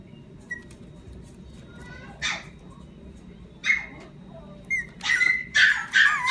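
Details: Energetic, play-loving Yorkshire Terrier making faint squeaky whines at first, then scattered high barks that grow louder and closer together in the final seconds.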